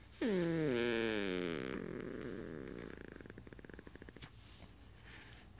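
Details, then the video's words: A pet Beagle making its "purring" sound: a high whining tone that slides sharply downward, then settles into a low, rapid, pulsing rumble at about four throbs per second. The rumble slowly fades in a quiet indoor setting. "the "Purring" Beagle"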